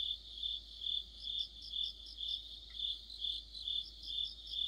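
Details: Crickets and other insects in an autumn chorus: a steady high shrill trill with pulses swelling about twice a second, plus a faster overlapping chirping caller in the same band; no other sounds stand out.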